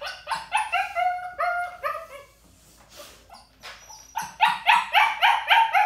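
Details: Crated young puppy, ignored by the trainer, barks and whines from crate anxiety or demands: quick harmonic yelps and drawn-out descending whines, a short near-silent gap, then a fast burst of sharp yips.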